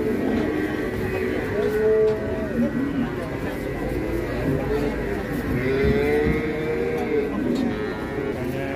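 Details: Pegon cattle at an Indonesian cattle gathering where many farmers sell before Lebaran; two drawn-out moos among busy crowd chatter, background music and other cattle.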